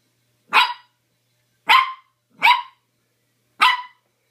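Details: Playful mini dachshund puppy in an excited frenzy, giving four bright, high-pitched barks, each short and rasping, spaced roughly a second apart with silence between.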